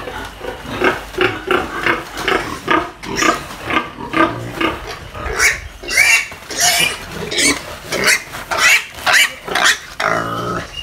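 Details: Pair of Duroc-Pietrain breeder piglets kept on a pig farm in the Philippines, giving irregular grunts and shrill squeals roughly twice a second, some squeals climbing high and piercing.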